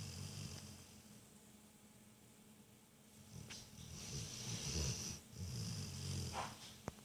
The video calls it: Piper the Rottweiler snores